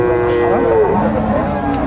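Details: Gyr cattle on a farm in El Tiangue, El Salvador, give a steady tonal moo with stacked harmonics, holding level then dipping slightly before fading, against a busy background with faint music-like tones.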